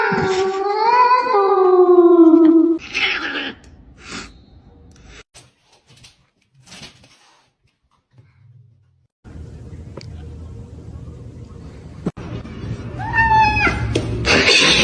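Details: Pet house cat indoors: one long, wavering, whining meow lasting over two seconds, then quiet room sounds with faint knocks, and another short meow near the end.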